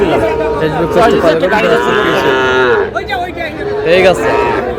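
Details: Sahiwal bull calves at a cattle market bought by a farmer from Noakhali, Bangladesh; a loud, sustained rich moo fills the first seconds, followed by shorter lowing calls amid nearby human bargaining chatter.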